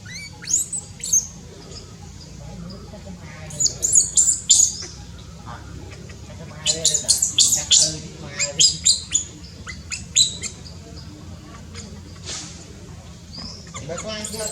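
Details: Newborn baby monkey in Cambodia, born high in tall trees: short, sharp high-pitched squeaks come in scattered clusters, some rapid runs of three or four, with quiet gaps between bursts.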